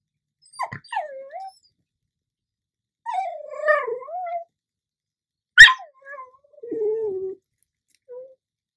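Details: Pet dog, a female, begging for chips in a talkative, conversation-like exchange; drawn-out whining and moaning sounds in several phrases that rise and fall, with one sharp yelp near the middle and a brief final whine.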